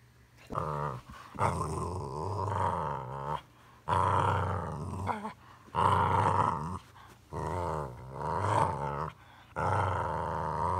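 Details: Boxer dog making funny sounds: drawn-out, growl-like grumbling vocalizations in bursts of one to two seconds, separated by brief pauses, with a voiced, moaning quality throughout.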